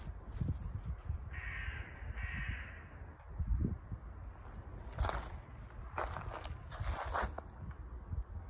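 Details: A young male Siamese cat, being showered after playing outdoors in a gravel pit, gives two harsh, raspy meows close together over rushing water.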